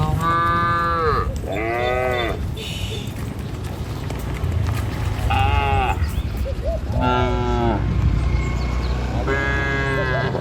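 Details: Dozens of tame cattle herded over a river bridge on their morning walk to a village field; drawn-out harmonic moos from several animals follow one another at short intervals, with steady low rumble and faint hiss beneath.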